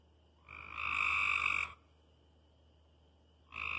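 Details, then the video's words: Frogs hollering at night, one long buzzy rasping croak of about a second, then a pause with a faint steady high tone, and another croak starting at the end. "Frogs hollering at night"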